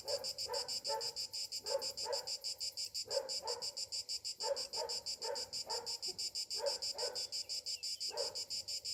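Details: Morning cicadas in summer keep up a sustained, pulsing high buzz, about three throbs per second, while lower harsh bursts come in short groups every second or two.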